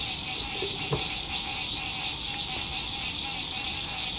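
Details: Frogs calling at sunset on a lake, spring 2021, from an RV campsite: a steady high-pitched trill fills the background while two quick falling chirps and a sharp tap sound over faint road noise.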